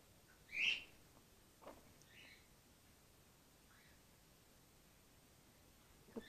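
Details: Grey-headed flying-fox pup named Gwickle, in care and bottle support-fed after her concussed mother, trapped in an empty swimming pool, lost her milk; one sharp high squeak early, then a few faint short chirps spaced over quiet seconds.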